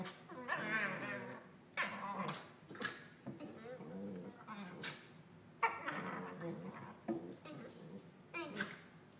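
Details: Two corgis play-biting and making Wookie-like noises, a steady run of throaty groans, whiny warbles and growls in uneven bursts, some higher yelping notes in between.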